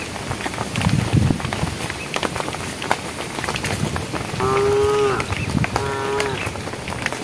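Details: Herd of cows on a project road as night approaches, calling the herd. Two short, tonal moos, the first longer and steady, the second brief and clipped, over constant scuffling steps and outdoor rustle.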